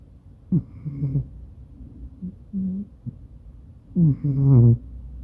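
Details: Maine Coon called Madoka asleep next to its owner, taped on a smartphone: a few short, deep, nasal snores, soft in the middle and a louder drawn-out breath near the end.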